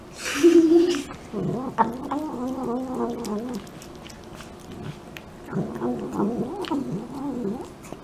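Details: A pet cat grumbling while eating indoors: low, throaty, wavering harmonic murmurs in two runs of about two seconds each, separated by a quieter stretch with faint chewing clicks.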